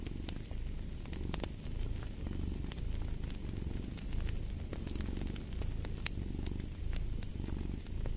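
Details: Deep rumbling purr of a cat, rising and falling in regular breath cycles, with fire crackling steadily in the background as brief bright pops.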